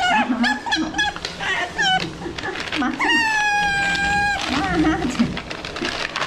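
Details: Asian small-clawed otter in captivity at an aquarium in Ise, Japan, calling while eating: high, drawn-out harmonic squeals and short chirps, one steady tone held for over a second, with human voices in the background.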